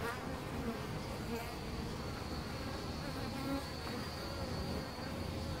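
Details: European honey bees at a wild nest in a hole in a tree trunk, Costanera Sur Ecological Reserve, filmed from ten centimetres; dense, steady buzzing hum of many bees, low and continuous throughout.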